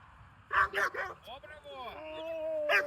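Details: German Shepherd puppy during protection training, giving a burst of three sharp high barks followed by a drawn-out whining yelp that slides down, with a person speaking Russian nearby.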